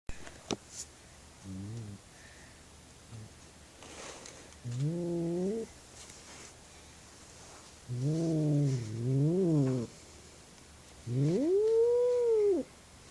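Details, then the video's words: Female house cat indoors, agitated after seeing something outside, giving loud yowling calls that woke the household: several harmonic, wavering moans of rising then falling pitch, growing longer and louder toward the end, with quiet gaps between. "crazy cat making loud noises and waking house"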